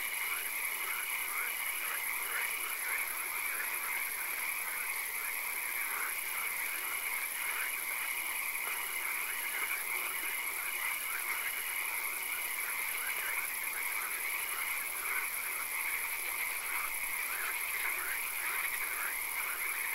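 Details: A frog chorus from a swamp at night, rain falling now and then; steady rhythmic croaking trills from numerous frogs repeat without pause, backed by a thin high tone and constant hissing wash.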